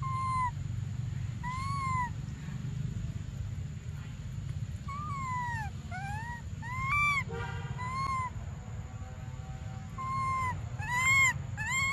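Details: Baby monkey Briar crying desperately for milk: clear, whistled, arched cries with bright overtones, some rising and some falling, coming in bursts and growing quicker and more urgent toward the end, over a steady low rumble.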